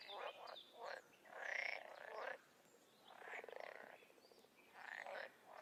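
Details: Frogs and toads calling in the wild, with fewer, well-spaced croaks: a few short rasps, a longer buzzy croak, then a rapid rattling trill and one more rasp, separated by quiet gaps.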